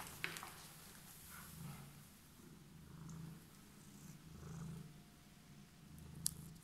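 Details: A homeless cat waiting on stairs purrs: a low, steady rumbling drone swells and fades in slow waves, with a faint click near the start and end.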